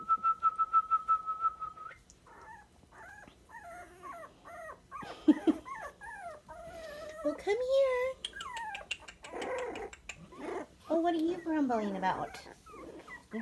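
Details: Sandstone Dachshund puppies, 23 days old. A steady human whistle with quick clicks opens, then many high, squeaky whimpers and yelps that bend up and down, several puppies overlapping, with a human voice in the background.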